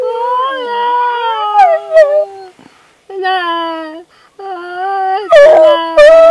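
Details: A rat terrier singing along while practising with a person: long, tonal, wavering howls with rich overtones, held notes broken by short pauses, some rising yelps near the end.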